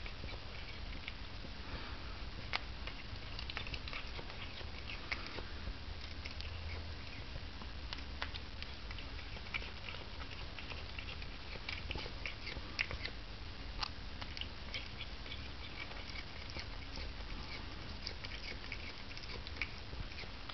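A Cornish Rex cat chews salad with soft, irregular crunching and clicking sounds over a low indoor hum.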